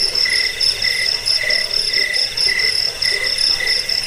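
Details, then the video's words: Cricket chirps intended to scare off rats, bring sleep and serve as a model for cage birds; high ringing pulses arrive in short groups about every second and a half against a steady trill. "Suara jangkik pengusir tikus pengantar tidur"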